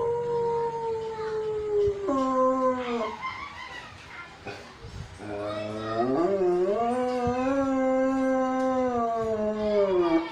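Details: Belgian Malinois dog howling in long, drawn-out tones, a steady high howl dropping in pitch, a brief break, then a rising, wavering howl held for several seconds, loud and close.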